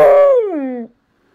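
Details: Female pet dog "talking" to her owner: one drawn-out tonal whine-howl, loud at first, then sliding downward in pitch and fading out within about a second, followed by silence.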